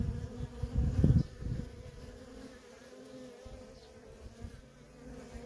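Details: Feral colony of honey bees, worker bees coming and going nonstop; a low, steady droning hum layered with a loud rumbling burst around the first second, then quieter even buzzing.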